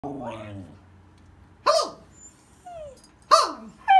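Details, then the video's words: Sky, a pet husky, reacts against its owner's Mickey Mouse voice: after a brief high-pitched human voice, short yelping cries with sharp onsets and falling pitch come roughly every one and a half seconds, indoors. "Husky does not like Mickey Mouse Voice."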